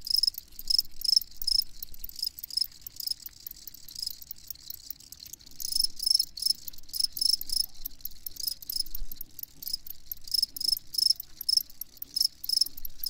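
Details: Crickets giving loud, shrill chirps in rhythmic groups separated by short softer gaps, a steady high-pitched trilling chorus with little other sound.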